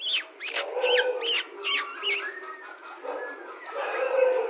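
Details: Rajapalayam puppies whining indoors, six sharp high yelping squeals in quick succession, then softer lower whimpers and murmurs continuing.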